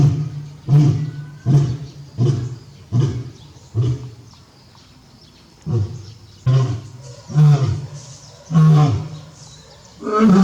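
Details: Captive male lion at Tobe Zoo, Japan, on 5 October 2021, roaring hard while calling toward the backyard for his absent mate. Deep, low grunting roars come in quick bursts, pause for about two seconds, then resume.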